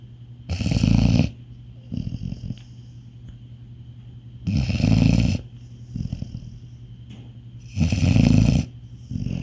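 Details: Labrador Retriever in deep sleep, snoring loudly: deep, rumbling, low-pitched snores in bursts about every three seconds, with softer rasping breaths between them and a faint steady hum in the background.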